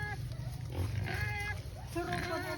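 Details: Native black pigs on a free-range farm in Albay, Philippines: short, tonal squeals and grunts rising in pitch, overlapping with people talking nearby outdoors.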